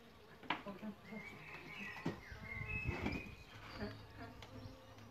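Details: Solitary bees nesting in a bug hotel: a low droning buzz with layered harmonics hums through, while sharp clicks and knocks and brief whistled bird notes sound over it.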